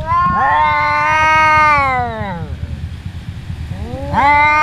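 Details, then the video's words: Two domestic cats, brothers said to fight every day, yowling during a fight: a long wavering harmonic wail of about two seconds, then a second rising yowl beginning near the end. "Cats Fighting and Meowing"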